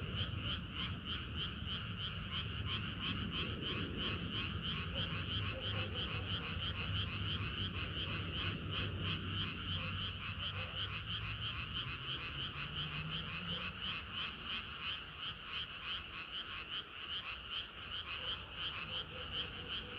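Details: Chorus of many frogs on a hot summer night, a continuous wall of overlapping croaks pulsing about three times a second, with a low droning hum underneath that fades midway.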